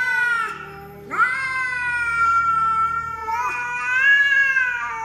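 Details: A pet cat yowls in long, sustained, strongly harmonic meows, one short call followed by a rising, held wail that swells louder near the end.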